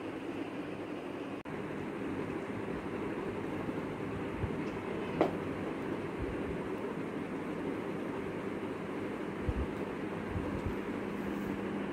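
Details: Steady low rumble of a moving train fills the recording, with a few faint clicks and brief knocks and no animal voice.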